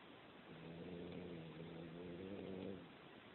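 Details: Snoring cat, a low droning buzz with clear overtones lasting over two seconds, dipping briefly midway as if between breaths, then swelling again before fading, against steady room hiss.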